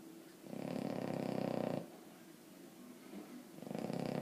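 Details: Emma Mae, a sleeping Boston Terrier, gives a loud, raspy snore of about one and a half seconds, a quiet pause, then the start of the next harsh rumbling breath.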